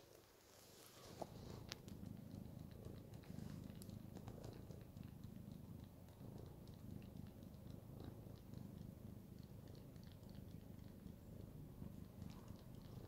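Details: Domestic cat purring while kneading, a steady low rumbling purr continuing throughout in pulsing breaths, with a few soft clicks and rustles near the start.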